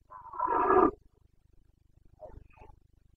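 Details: Carpathian red deer stag in Bucovina during the breeding season rut (boncănit), 29 September 2022: one long, hoarse, harmonic roar of about a second, then a quieter short grunting pair after a pause, over a faint low hum.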